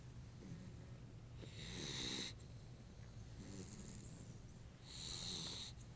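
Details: Nala, a sleeping dog, snoring: two long, raspy, hissing breaths about three seconds apart, with a soft low rumble in between.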